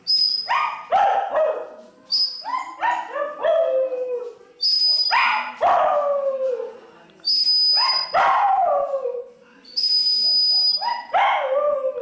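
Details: Pomeranian dog trying to sing while listening to music, producing clusters of yipping, downward-sliding howls roughly every two to three seconds, alternating with piercing high musical tones.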